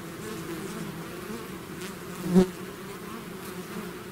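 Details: Bee swarm out of its hive, a steady low hum layered in two pitches, with one bee passing close about halfway through, giving a brief louder buzz that swells and fades.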